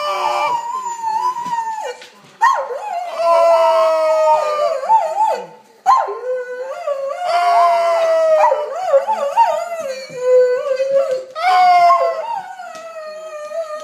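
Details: Singing Doberman named Shaka delivers a continuous wavering howl, pitch rising and dipping in sung-like phrases with brief catches between them, loud and close in an indoor setting.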